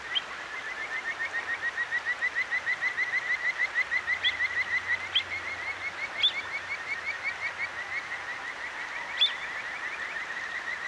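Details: Kajika frogs calling at night beside a clear mountain stream in Akigawa Valley, Tokyo, recorded on a Zoom H6; rapid high whistled notes repeated about three times per second, overlapping callers, a few sharp bird notes, steady water murmur.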